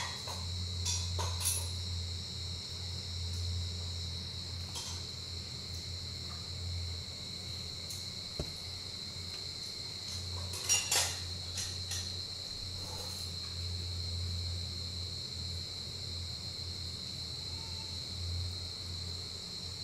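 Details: A giant short-tailed cricket, which comes above ground only once a year in the breeding season, gives a steady, high, unbroken trill over a low background rumble.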